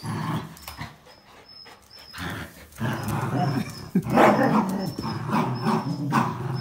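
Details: Three dogs, a Jack Russell Terrier and black-and-white and red-and-white Border Collies, contest a towel in tug play; quiet at first, then a rising rumbling growl swells from midway and peaks loudly, with faint high squeaks above.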